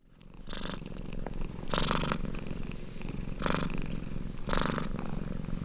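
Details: A suckling kitten purring while it nurses: a steady, low rumbling purr with a fine pulsed texture, broken by short louder breathy bursts at irregular intervals of one to two seconds.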